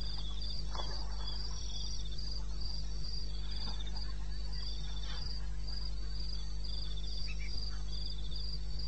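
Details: Wild crickets at night in eastern Botswana, 2:30 am, 21 May 2016; rapid high pulsed chirps continue throughout while short, lower scattered calls from other night creatures and a steady low hum sit underneath.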